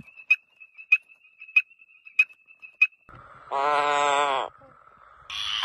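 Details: Tropical frogs calling at night in the breeding period in forest and swamp; sharp clicks repeated about every 0.6 seconds, then a nasal, harmonic-rich note lasting about a second and a brief higher call.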